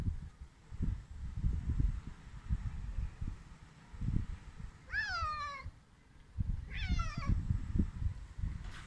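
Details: Hungry stray cats being fed: two loud meows, each a bright harmonic cry that wavers and then slides downward, about two seconds apart, over low rumbling and handling noises.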